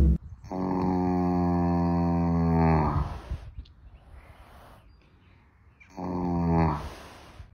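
A sleeping draft horse snores with deep, rumbling, drawn-out breaths separated by quiet pauses.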